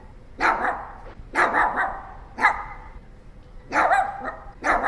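A Pomeranian barks in quick, high-pitched yaps, some single and some doubled, spaced roughly a second apart. The barks are bright and clipped, typical of a small dog, over a quiet background.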